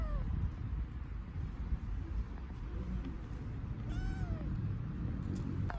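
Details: Hungry homeless kittens on an Istanbul street give a couple of short, arching meows, one near the start and a clearer one about four seconds in, over a steady low rumble of street noise.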